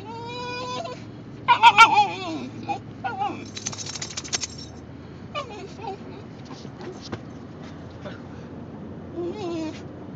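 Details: Male Basenji dog vocalizing in a car to ask for a potty break, recorded on an Android phone: wavering, whiny yodel-like cries with rich harmonics in short bursts, then quieter scattered whimpers over low car rumble.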